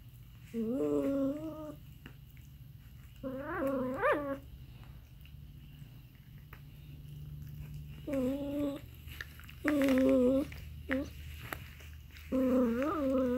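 An aardvark gives short, nasal, wavering bleats in bursts of one to two seconds.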